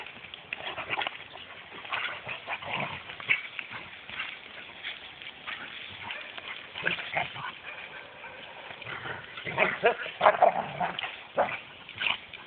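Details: Rhodesian Ridgebacks in Mombasa: irregular bursts of harsh barking mixed with higher whimpering and whining, coming in uneven runs through the recording, loudest near the end, over steady outdoor background noise.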